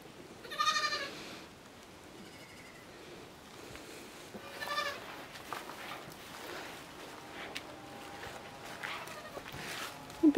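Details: Miniature goats at the Domaine des Tourelles farm, where the affectionate buck Niño plays with his kids; two short, wavering, nasal bleats ring out, one near the start and another about four seconds later, over a quiet background.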